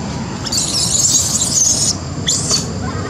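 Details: Lori, a baby monkey who could not use her legs, cries out to Amari for help climbing a tree; a long shrill high squeal, a pause, then a shorter second squeal.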